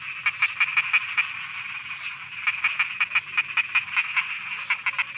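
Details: Night frogs croaking in Thailand: rapid, sharp, clicking croaks come in quick runs of about five per second, with a short pause near the two-second mark, over a steady high chorus hum.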